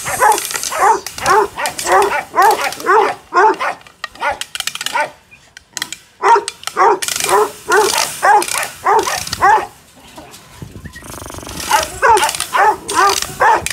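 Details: Presa Canario pup, five months old, barking during an agitation test in Odesa: rapid bursts of deep barks, about two per second, with brief pauses between volleys.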